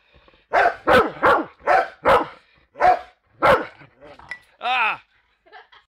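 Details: Male Rottweiler, angry at an aluminum baseball bat, charges and bites it. He gives a rapid run of about seven sharp barks roughly half a second apart, then a longer drawn-out bark and a few faint yips.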